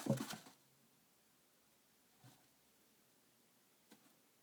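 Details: A male chinchilla in a dust house gives one quick, sharp sneeze, then flips and digs in the dust, heard only as faint soft taps in a quiet room.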